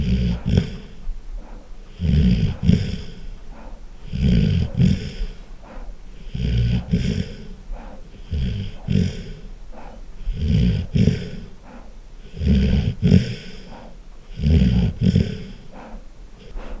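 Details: Golden retriever snoring loudly while asleep, deep rumbling snores with rasping, snorting edges, each breath cycle repeating roughly every two seconds in an uneven rhythm, indoors with no other clear sounds.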